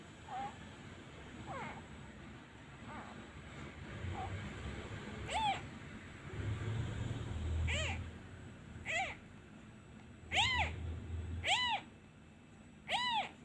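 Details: Abandoned kitten that cries each time a hand is removed, missing its mother: faint, thin mews at first, then louder arched meows with rich harmonics, growing more frequent toward the end, over low handling rumble.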